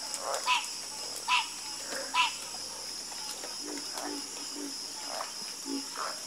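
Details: Night chorus of frogs: short croaks repeating roughly every second, some louder nearby callers over quieter distant ones, with a constant high-pitched insect drone throughout.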